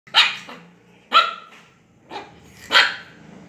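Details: A Shih Tzu puppy gives four sharp, high-pitched barks at uneven intervals of about a second.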